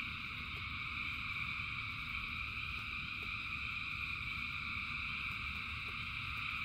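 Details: Dense chorus of many frogs in rain forms a steady, unbroken trill in three layered bands, with a low rumble of falling rain beneath and faint scattered drip clicks.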